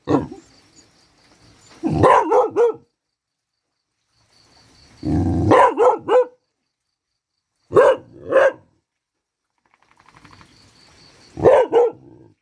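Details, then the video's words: Pet dog barking while rain falls outside, in short bursts: about four rapid barks, a pause, another run of four, then two pairs of clipped barks spaced a few seconds apart. "ฝนตก รูปหล่อ ซ้อมเห่า น่ะงับ"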